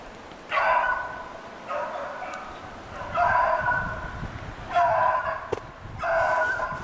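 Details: Hunting snowshoe hare on February 25, 2016, beagles bay steadily: moderately loud drawn-out howls roughly every second and a half, with a soft outdoor background.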